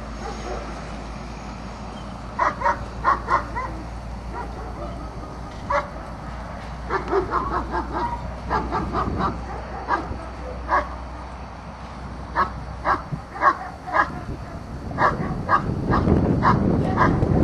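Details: Azzo, a German Shepherd in an IPO1 obedience trial, barks repeatedly in sharp bursts, often in pairs or triplets, spread through the recording, with a low rumble of a vehicle or wind near the end.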